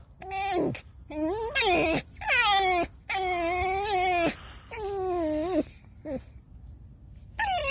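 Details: A tame fox called Alice, said to have just stolen three chickens and buried them, produces repeated creaky, wavering whines, each about a second long and falling in pitch, in a steady back-to-back series.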